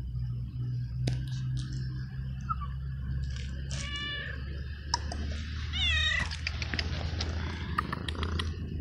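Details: Abandoned stray cat in a garden meows twice, short bending cries about two seconds apart, over a steady low rumbling noise with scattered clicks and rustling.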